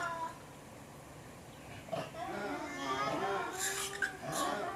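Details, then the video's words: Formosan rock macaques in a zoo, recorded 14 February 2020: overlapping wavering, tonal calls rise in from about two seconds and continue to the end, broken by brief noisy bursts, over a steady background hiss. "台灣獼猴叫聲（The Noises of Formosan Rock Macaque）"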